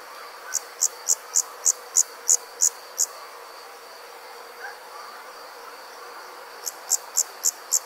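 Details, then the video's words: Insect calling at night in summer in the countryside: a run of eight sharp high chirps about three per second, a pause of several seconds, then another quick series, over a steady faint high hum. "Nighttime Insects Country Living, Nature | Comforting Summer Insect Sounds"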